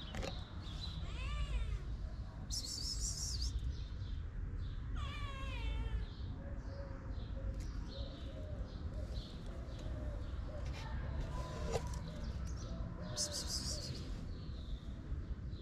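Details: Two shy but hungry sister kittens, abandoned in Morocco and cared for in a small shelter, meowing repeatedly: thin rising-and-falling wavering cries around two and five seconds, with softer mews later, over steady low outdoor rumble and occasional higher chirps.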